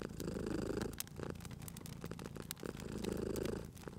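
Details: Domestic cat purring by a fireplace, its deep vibrating rumble rising twice in breath-long surges while crackling fire sends bright clicks and snaps over the top.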